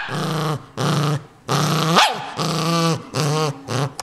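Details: ['Ninja, a pet dog, growls possessively over a new toy: long harmonic rumbles in separate bursts, one with a sharp rising yelp-like snarl at its peak.']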